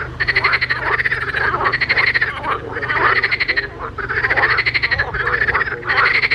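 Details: Several frogs croaking in a pond, rhythmic rasping pulse trains with a ringing tone, bursts recurring about every second, a steady low hum underneath.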